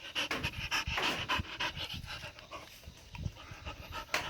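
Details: Pet Jindo dog in Iksan panting quickly and steadily, roughly three breathy huffs a second, each a soft broadband rasp with short gaps between bursts.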